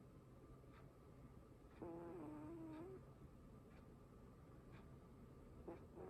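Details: Sleeping pet cat snoring: one drawn-out, buzzy, gently wavering tone lasting about a second, then a brief start of another near the end, against a quiet steady background hum.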